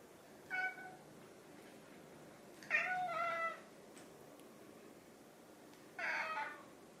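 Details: Two pet cats, orange tabby Chai and grey tabby Sushi, repeatedly meowing at their owner when hungry, Sushi especially; three clear harmonic meows, the middle one longest and falling, spaced about two to three seconds apart indoors.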